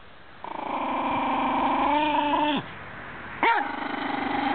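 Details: Schipperke dog going wild defending his bone from a chicken; long sustained rumbling snarl-growl for two seconds, a sharp yelping bark, then another continuous growl.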